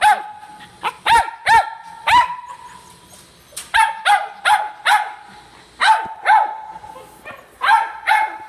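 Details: Silky Terrier giving bursts of shrill, ringing barks, often in pairs or threes separated by short pauses, over roughly eight seconds, with faint background noise.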